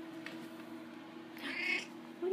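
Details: Daisy, a pet house cat known for talking to her owner, gives a single high, slightly rising meow lasting about half a second midway through, followed by the start of the owner's voice; quiet indoor room.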